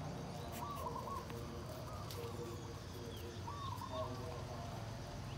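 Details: Puppy trying to nurse from its mother, giving several short wavering whines with a squeaky, slightly trembling tone, spaced a second or two apart over steady background noise.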